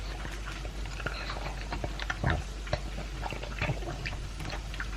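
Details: A Pug named Elvis, aged two, eating dry kibble and a chunk of beef meat. Irregular clicking bites and moist lapping or smacking sounds, with a few louder crunches midway.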